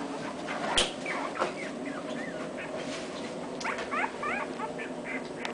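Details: Two-week-old English Cocker Spaniel puppies with their father: thin, high squeaky whimpers in short curved chirps, several in quick runs near the end, over a steady background hiss with one sharp knock.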